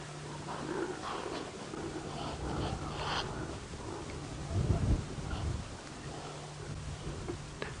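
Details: Impala rams give deep, rough grunts during the rut, with one burst of throaty grunting standing out over a steady low engine hum; evening game drive at Djuma, Sabi Sand, South Africa, late June 2017.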